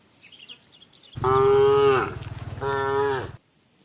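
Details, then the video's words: Cow calling its herd as the herd eats together toward evening and receives water: a long, level moo ending in a downward slide, a brief rough pulsing pause, then a shorter second moo with the same falling end. "the sound of a cow calling itsherd"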